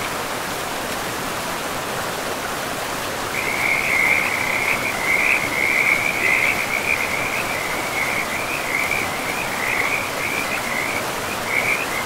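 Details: Frogs calling beside a river in a pristine, moss-covered forest: after about three seconds a dense, continuous trilling chorus of rapid croaks starts, high-pitched and steady, over a constant broad rush of flowing water.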